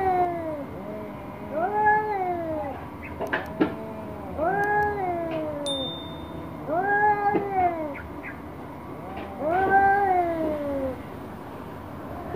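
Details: Orange domestic cat angry at a black cat, giving drawn-out wailing yowls that rise and then fall, about four long cries spaced roughly every two to three seconds, with faint clicks and knocks between them.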